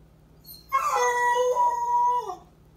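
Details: Basset Hound, a male house dog left home alone, gives a single drawn-out howl that opens with a sharp higher yelp, then holds a steady mournful tone for over a second before dropping away; faint constant hum behind.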